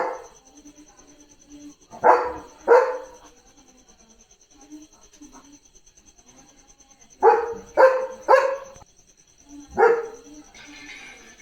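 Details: Leo the German Shepherd barks at cattle going past the gate: two sharp barks, a pause with faint low murmurs, then a rapid run of three barks and one more, with a thin constant high tone behind.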